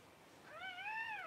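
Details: Newborn Cavalier King Charles Spaniel puppy, among the first two whelped by the mother Paris, around January 1. A single thin, high whine with bright overtones, rising then sagging for under a second in an otherwise quiet room.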